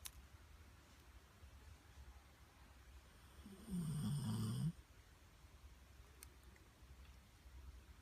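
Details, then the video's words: Bobby the Pit Bull, asleep, gives a single rumbling, rattly snore of about one second in the middle of an otherwise quiet indoor recording. "Pitbull!! Snoring Bobby"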